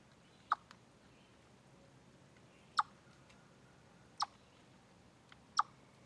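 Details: A chipmunk gives sharp, abrupt chip notes at uneven intervals over a quiet background hiss, on a deer trail live stream, 27 August 2013.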